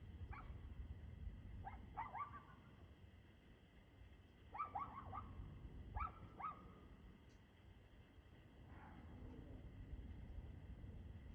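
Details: A dog barks in several short clusters at 6:02 pm on 2/6/2024, some barks trailing into a brief tonal whine, with a constant low rumble underneath.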